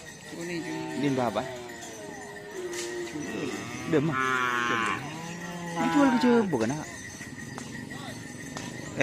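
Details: Cattle during bull race (karapan sapi) training at Asemanis field, Pamekasan, before an anniversary celebration; a run of overlapping bellowing moos with dipping, bent pitch, plus some voices and clanking in the background.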